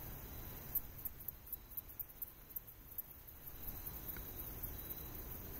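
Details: A male Handsome Meadow Katydid, a wetland species, calls with a quick series of very high, dry ticks made by running a file on his wings, trying to attract a nearby female.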